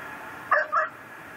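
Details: Pit bull tethered to a yard post in Chalmette, Louisiana, barking through the night of December 24, 2012: two quick, hoarse barks in close succession over low constant background noise.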